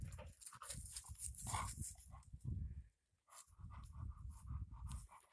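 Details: Alapaha Blue Blood Bulldog junior puppy named Redd Fox, playing outside on a warm day; quick, breathy, rhythmic panting bursts run steadily, broken by a short silent pause midway, then resume at the same brisk pace.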